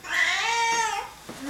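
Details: Right after someone sneezes indoors, a Singapura cat answers with a sustained complaining meow, bright and slightly arching, fading into a short breathy sound at the end.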